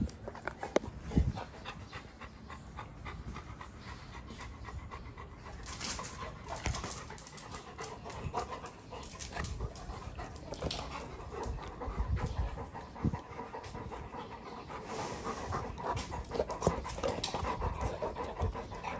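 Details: Two Golden Retrievers, Apollo and the pregnant female Goldie, panting during excessive rough play. Steady, rapid, breathy panting runs throughout, with scuffling and rustling noise and no clear voices.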